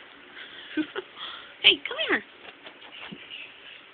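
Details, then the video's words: Pip-Squeak, a male kitten found in an alley and kept as a pet, worried that the door of a friend's room would open as other kittens wanted to come in; one short rising-then-falling meow near two seconds among soft clicks and rustles. "Worried kitten"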